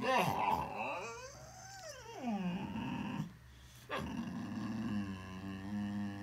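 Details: Boxer dog making funny sounds, a high rising-and-falling whine that swoops up and down, then drops into a low grumbling moan after a short pause, with a person's voice faintly present.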